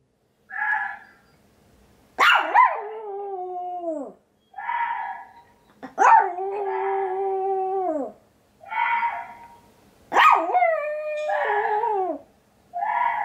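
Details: White Pomeranian male dog, born 2016, howling in reaction to played animal sounds such as tiger and water deer; repeated drawn-out howls with sharp yelping onsets, falling at the ends, about every four seconds, alternating with short higher playback sounds.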